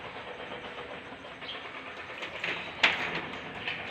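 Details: Steady broadband hiss with rattling clicks and a sharp knock near the end, like a passing train or vehicle, and no animal voice.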